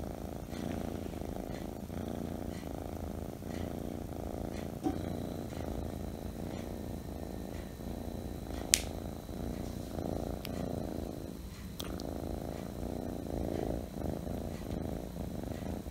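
A Scottish Fold kitten purrs steadily, a low continuous rumble with a gentle rhythmic pulse.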